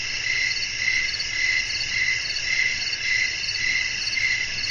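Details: Night-time chorus of crickets amid blowing wind, a dense high-pitched pulsing trill that throbs in evenly spaced bursts roughly every half second, with a soft low background hum.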